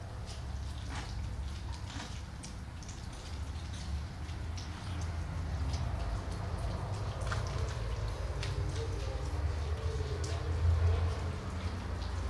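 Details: Deep continuous purring from a calico cat still asleep under narcosis after being spayed, a low droning rumble that swells slightly toward the end, with scattered small ticks and household rustle.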